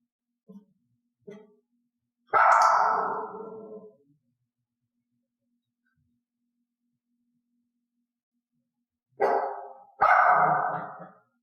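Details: Dog trained against barking at odd sounds or when alone: two tiny yips, then one long harsh bark, a long silence, and finally a pair of loud barks close together near the end.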